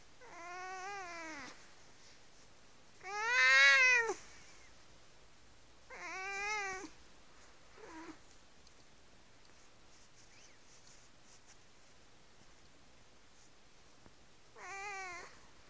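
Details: Cat sucking on a faux mink blanket indoors gives five drawn-out, nasal meows, each about a second long with a slightly wavering pitch, the loudest near the fourth second, separated by quiet pauses.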